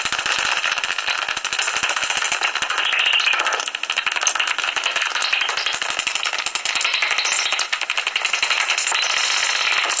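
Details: At dawn on 17 August 2019, fifteen minutes before sunrise, common noctules in a tree-hollow roost near Ibbenbüren, Germany, keep up ten seconds of unbroken, hissing, high-pitched crackle and twittering squeaks.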